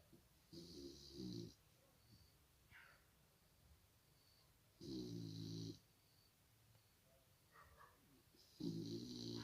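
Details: Iriska, an English Cocker Spaniel puppy, snoring while asleep: three rough, throaty snores about four seconds apart, each lasting roughly a second with a low rumbling core and a hissy airy edge, quiet breathing between them.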